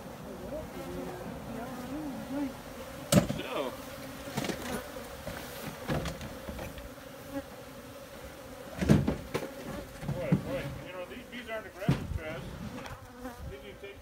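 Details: Steady low droning buzz of honey bees, broken by several sharp knocks and thuds that punctuate the continuous hum throughout.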